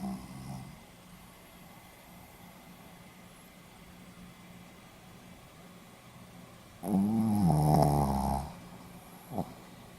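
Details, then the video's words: Sleeping Pomeranian dog recorded 4 November 2015, snoring indoors: a quiet room hum, then one long rough, buzzy snore of about one and a half seconds with a wavering pitch, followed by a brief soft snort. "ポメラニアン 犬のいびき"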